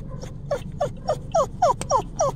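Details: Chow Chow, kept with a Shih Tzu, curious and excited to go out: a rapid series of about eight short, squeaky, downward-bending whines, roughly three each second.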